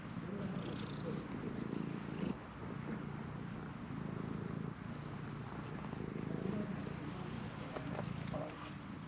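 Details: Stray cat at a shrine, intensely demanding to be petted, recorded with a GoPro HERO8: a low, steady, rumbling purr runs throughout with slight pulsing swells, and faint outdoor background noise.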